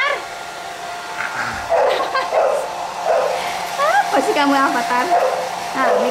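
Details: Pit Bull puppies fussing while being dried with a hair dryer. Several high, wavering whines and short rising yelps come in bursts over the dryer's steady hum, and a woman talks between them.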